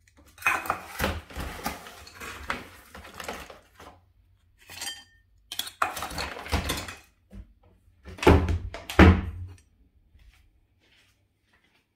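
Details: Dishes and cutlery clatter in bursts indoors, with knocks and thumps, then silence.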